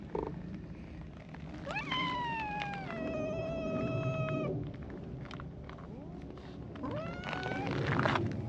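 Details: Quarrel between a brown tabby cat and a tortoiseshell cat keeping a wary distance: a long, drawn-out wavering yowl rising then holding steady for about three seconds, followed by a shorter rising wail near the end, over low background rumble.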